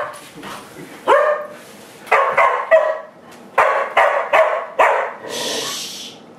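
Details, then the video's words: Dogs annoyed by a broom let out loud, clipped barks, roughly one burst per second, separated by short quiet gaps, ending with a hissing brush-like scrape. "Dogs get mad at Broom"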